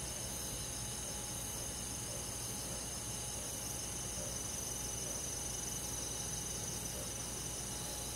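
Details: Crickets and other insects on a summer night in a rural forest: a dense, steady high chirping chorus with faint pulsing trills, shimmering continuously without pause over a soft, even background hum.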